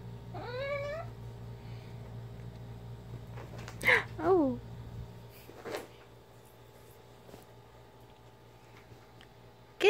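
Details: Ginger, a pet cat playing fetch with her favourite toy, makes a rising, wavering mumbled meow, then two short chirpy calls near the middle; a few faint clicks and a steady low hum indoors.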